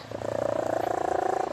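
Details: Snoring from the cat Leah while asleep: a continuous, rapidly throbbing drone that holds steady across the whole stretch, with faint background hum.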